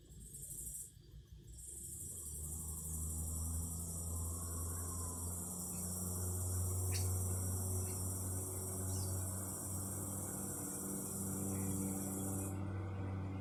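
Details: Cicadas singing outdoors: a loud, steady, high-pitched buzzing drone that starts after a brief pause near the first second and holds unbroken until it cuts off near the end, over a low rumbling hum.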